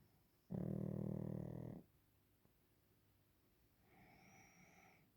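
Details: Waffle, a Pekingese, snores during a nap: one loud, harmonic, rattling snore lasting over a second, then a softer, higher breathy exhale near the end.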